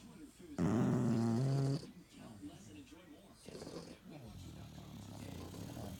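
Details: Sleeping English Bulldogs snoring: a loud, steady, buzzy rasp with stacked low tones lasts about a second, followed by softer rumbling breaths and faint background murmur.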